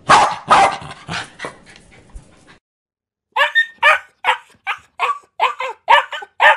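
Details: Dog barking: a quick loud pair followed by weaker barks, a brief silence, then a steady run of about ten sharp barks spaced evenly, several per second.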